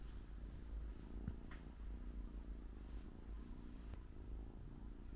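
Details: Female British Shorthair cat in NY12 colouring, newly arrived home after a long journey, dozing off tired after eating; a soft, steady low rumbling purr runs throughout with faint rustles.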